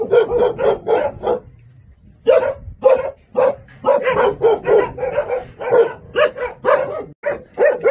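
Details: Jindo dog giving repeated loud barks in a small room, a rapid cluster at first, a pause, then steady barks about twice a second.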